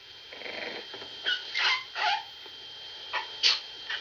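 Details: English Bulldog puppies give thin, squeaky whines and high yelps in short separate notes, a few rising sharply, over a quiet hiss.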